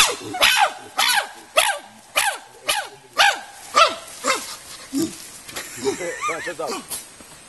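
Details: Chimpanzees at the Nigerian Chimpanzee Centre, Afi Mountain Drill Ranch, Nigeria, inside a solar-powered natural habitat enclosure, give a run of about ten arched, hooting barks roughly every half second, fading in loudness toward the end, with faint human voices.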